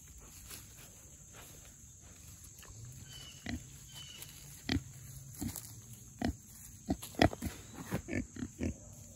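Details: Four young Mangalitsa pigs rooting up forest ground after heavy rain: quiet start, then short snuffling grunts and rustles growing denser and louder over the last five seconds, over a steady high-pitched hiss.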